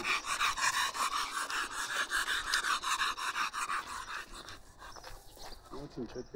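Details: Fast, steady panting from a bull terrier, about three breaths a second for several seconds, fading into nearby Armenian conversation.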